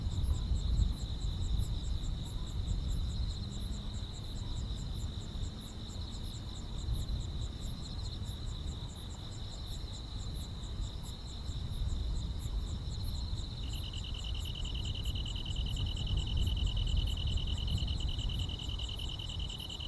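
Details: Grass insects fill a peaceful rural summer night. A shrill continuous whine and rapid high ticking carry through the whole clip. About two-thirds in, the drone gives way to a slightly lower, pulsing trill. A low rumble sits beneath.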